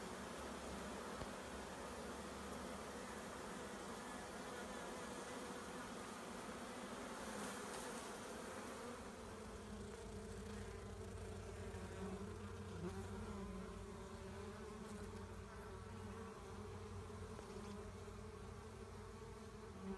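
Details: Honey bee swarm being collected by beekeepers: a dense, continuous droning hum with a steady low tone and overtones, unbroken and even in loudness across the whole stretch.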